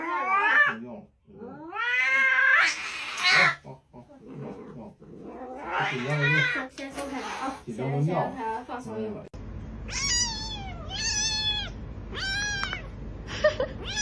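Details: Kitten meowing indoors: after a stretch of women's chatter and laughter, four high, clear meows follow, each rising then falling, about one per second.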